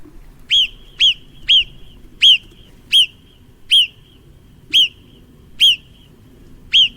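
A marmot gives loud, sharp whistles, each a brief piercing note repeated at uneven intervals of about a second.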